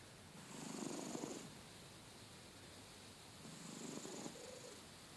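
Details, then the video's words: Loud snoring from a sleeping house cat: two hushed, grainy, rasping breaths about three seconds apart, each swelling and fading over roughly a second, in a quiet room. "Loud Snoring Cat"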